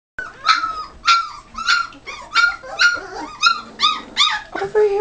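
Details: Ten Great Dane puppies being weaned: a rapid series of high, yelping squeals and whines, about nine in five seconds, sliding down in pitch, with a woman's voice calling the puppies over.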